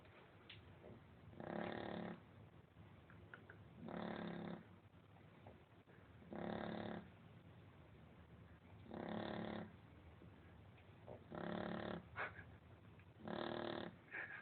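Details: Female Shar Pei sleeping indoors and snoring loudly, likened to a man's snore; rough buzzy snores about every two to three seconds with quiet pauses between, plus faint small clicks and rustles.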